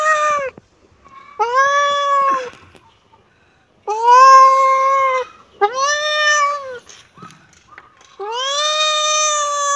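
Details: Repeated kitten meows, five clear cries each under a second or so, arching slightly up and down, separated by short silent gaps; one final meow rises in pitch.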